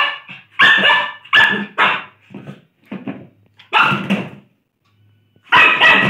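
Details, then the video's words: Lhasa Apso barking while playing: a run of short, sharp barks in quick bursts, several close together, then a pause and two more loud barks near the end, in a small indoor room. "CUTE LHASA BARKING AND PLAYING"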